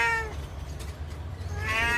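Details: Cat blinded in one eye, meowing sadly as if telling of its plight: two harmonic meows, one at the start and one near the end, with low background hum between.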